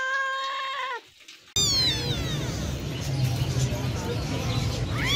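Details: Cat meowing: a level, held meow lasting about a second that drops at its end, then a cut to noisy room sound with faint, brief rising cries.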